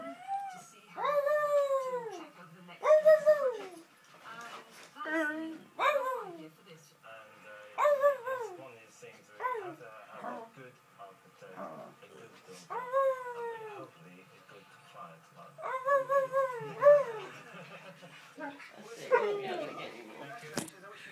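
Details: Dogs, a jug and a husky, howling together in repeated short falling howls, interspersed with human voices and some background noise.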